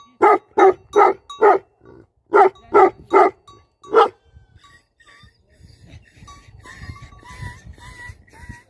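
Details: Livestock guardian dogs give two quick series of loud, rough barks over the first four seconds. Quieter rustling follows, then a few faint high chirping notes near the end.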